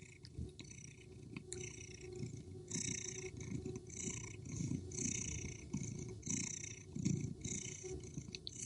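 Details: A cat asleep, purring steadily: a deep grainy rumble broken into pulses about every half second, with airy breathing hiss above it, a few faint clicks early on, recorded close in a quiet room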